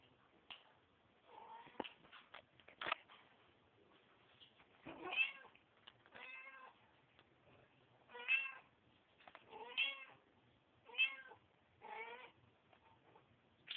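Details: While a mother cat cleans her kittens, a series of thin, high, wavering kitten meows repeats roughly every one to two seconds, with licking and rustling sounds between them.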